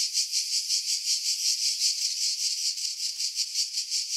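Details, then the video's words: Pine-dwelling cicadas on Skiros Island, Greece, at Pefkos Bay about 50 m above the sea, July 2018: a sizzling, high-pitched drone beating in rhythmic surges, roughly three each second, slightly less even toward the end; wind noise filtered out. "Cicada Sounds, July 2018 Skiros, Greece"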